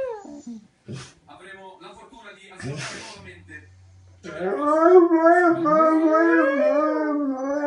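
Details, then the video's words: Young Dogo Argentino howling to call its mother; after a few seconds of indoor human speech, a sustained wavering howl begins, rising and falling in pitch with a rich tonal quality and holding to the end. "Dogo argentino chiama la mamma"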